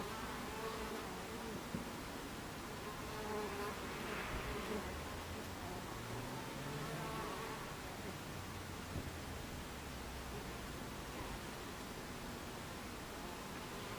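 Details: Dense droning of Buckfast bees at their hive entrance, 26 July 2013 at 14:30, a steady mass hum with shifting, wavering buzz tones from bees coming and going, some briefly louder as they pass near.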